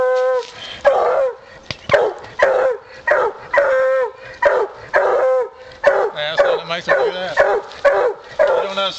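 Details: Female coonhound baying at a big raccoon it has treed on a coon hunt. Quick, repeated, ringing bawls roughly every half second give a choppy, insistent rhythm, with a low murmur of voices near the end.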